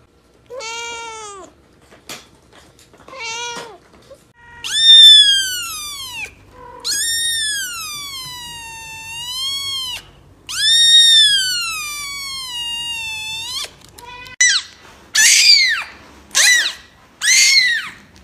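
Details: Kitten giving high-pitched mews, short descending squeaks at first, then longer arching cries, and finally a quick series of very high brief squeaks, in a quiet setting.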